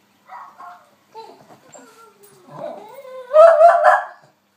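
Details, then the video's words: Snowy, a female West Highland White Terrier, barking at a recording of herself: wavering, rising whines slide upward into a louder burst of sharp barks near the end, with silence between sounds. "Westie barks"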